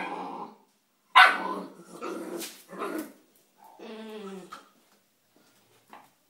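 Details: Sparky, a three-month-old Bull Terrier puppy, playing with a rock: one sharp high bark, then rough growling barks and a wavering, whiny growl, with pauses between.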